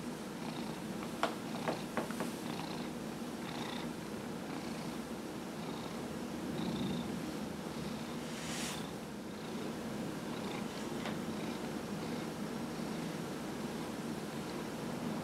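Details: Domestic cat Dillard, aged 15, purring through a massage session in November 2018; an even low continuous rumble with soft clicks and rustles of hands on fur.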